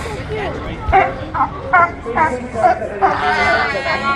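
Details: California sea lions at a feeding area bark in a quick series of hoarse, honking bursts, with people talking nearby.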